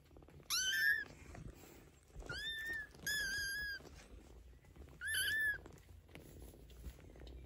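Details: Fifteen-day-old Maine Coon kittens beside mother cat Geza, who talks to them; four bursts of shrill, downward-curving mews ring out over quiet indoor background.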